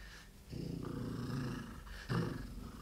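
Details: Large eight-month-old red fox cub in London, U.K., recorded close up giving a low, rough rumbling threat growl that swells after half a second and surges again near the end.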